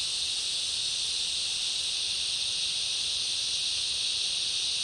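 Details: A steady, dense cicada chorus in a summer rainforest forms an unbroken high, hissing buzz with no pauses.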